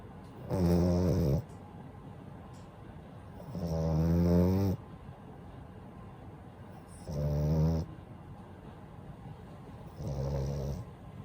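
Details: A sleeping pet French Bulldog called Daifuku gives four rough, throaty snores spaced about three seconds apart, each a low guttural rumble with a fluttering buzz, separated by quiet, hissy breaths.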